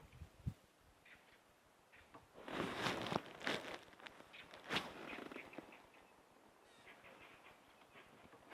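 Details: Monkeys at Rietspruit Game Reserve, Lowveld, South Africa, at sunset chatter in harsh, nasal bursts, loudest in a tight cluster midway, as impala alarm-call and run for cover; quieter scattered calls follow.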